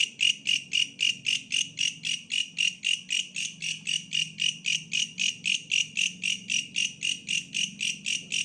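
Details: Bush cricket calling with a steady train of harsh, buzzy pulses, nearly four per second, high-pitched and evenly spaced throughout, over a faint low hum in the background.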